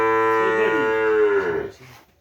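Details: Madura racing cattle (sapi kerapan) stock brought from Sapudi Island, Indonesia: one long, rich moo with a steady tone and many overtones, holding strong for about one and a half seconds, then falling away into quiet.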